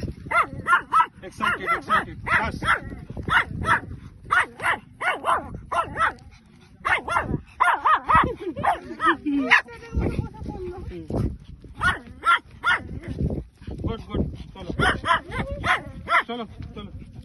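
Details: Shih Tzu and Lhasa Apso dogs play fighting; sharp, short barks and yaps come in quick bursts, several per second, pausing now and then, with human voices mixed in.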